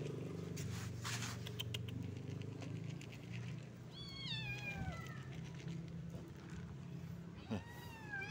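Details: Stray street kittens and adult cats gathering to find food; two drawn-out meows with falling pitch, one midway and a shorter one near the end, over a steady low rumble of background noise.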